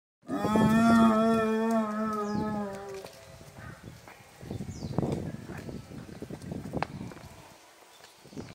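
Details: Captive spotted hyena at Omiya Park Small Zoo, Japan, 3 February 2023, giving the final drawn-out part of a whoop, used to call companions or distant individuals. It is a long, low, hollow tone with a slight downward slide lasting about three seconds, followed by rustling background noise.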